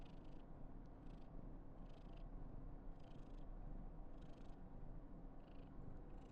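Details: Karen, a female Somali cat born 19 November 2021, purrs while being very affectionate; a steady low rumble runs throughout, with soft breathy hisses roughly once a second.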